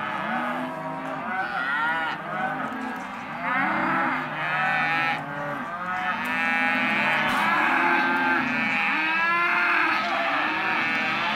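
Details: . Hereford and white-faced calves at a livestock auction lot, many overlapping drawn-out moos and bellows, some rising then falling, calling almost continuously with no gaps.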